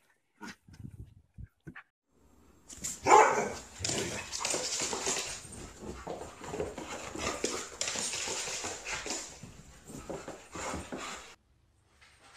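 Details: Domestic dog giving a short burst of barks, then a long stretch of noisy, broadband sound with scattered bark-like bursts; a few faint clicks precede it.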